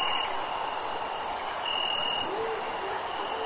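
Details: Crickets on a warm summer evening: a continuous high shimmering trill with a lower intermittent insect trill and a few faint low tones, all over steady night ambience.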